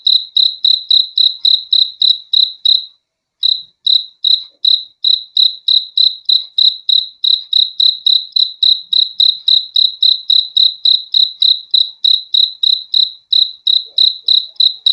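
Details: Continuous cricket chirping over fifteen seconds: short, shrill, ringing pulses about three per second, interrupted once by a half-second silence early on, then resuming the same steady beat; quiet background.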